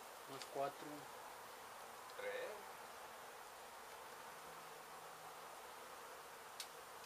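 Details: Honey bees from a hive struck by construction crews at an abandoned home under demolition in Mission, Texas, during a rescue and relocation: a steady, dense mid-pitched buzzing hum, with a few brief sharp knocks and faint voice-like sounds early on.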